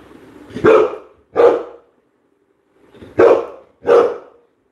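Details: Four loud barks from Coco the Labrador Retriever, given in two pairs about two seconds apart, clear and dominant over quiet background.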